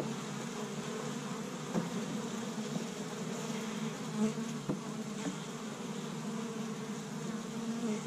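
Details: Honey bees busy at an established hive on the first warm spring day in Michigan, gathering pollen from tree buds: a dense, steady low buzzing drone of many bees, with a few faint soft knocks.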